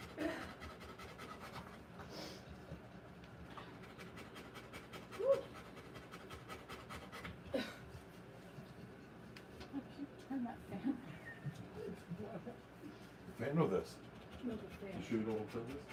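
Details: Rottweiler mother during the live birth of her puppies, breathing in fast, soft, regular pants throughout, broken by a few sharp clicks and brief louder sounds, with faint voices in the background.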